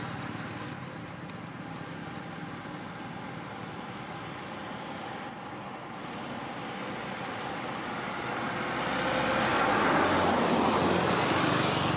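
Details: Steady road traffic rumble and passing vehicle noise, swelling louder near the end, with no animal voice.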